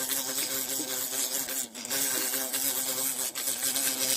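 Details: A bee caught while hunting bees in the bush buzzes loudly and continuously, a dense low hum with stacked overtones and two short dips in the drone.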